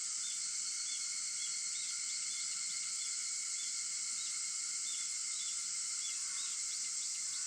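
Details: Early-morning cicada chorus at 4:50 am on August 4: a continuous shimmering buzz holding steady throughout, overlaid by brief soft bird tweets repeating at irregular intervals.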